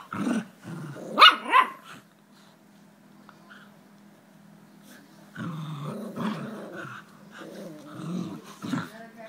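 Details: Jack Russell Terriers Jax and Rosco playing tug-of-war, with short growling bursts at the start and a louder snarl near one second, a quiet hum-filled pause, then renewed rough growls from about five seconds on.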